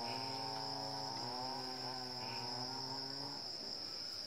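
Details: Wild Asian elephant herd in Chanthaburi Province, Thailand, at 7:18 am on 10 December 2016: low, harmonic rumbling tones held for several seconds, then sliding slightly, over a constant high, shrill insect chorus.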